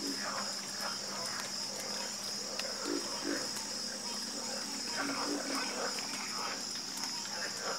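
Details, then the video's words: Frogs croaking in chorus: rapid, uneven runs of short, low croaks, partly blurred into a dense mass, under a persistent high-pitched buzzing drone. "Calming Sound Of Harmonious Frog Croaking"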